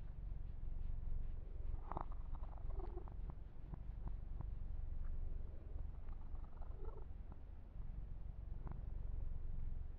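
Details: Male kitten Yumak purrs continuously during a massage, a deep even rumble with brief clicks and rubbing sounds from hands moving through fur.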